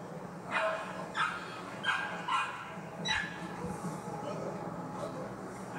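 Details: Poodle barking at a federation dog show in Anseong, Korea. Five short, sharp barks come roughly every half second to second, then stop. A steady hum of hall noise and distant chatter runs underneath.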